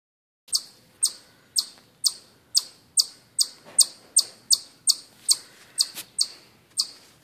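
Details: Chipmunk chirping: sharp, high, clipped chip notes repeated steadily about twice a second, some sixteen in a row, each starting abruptly and fading quickly, in an otherwise quiet setting.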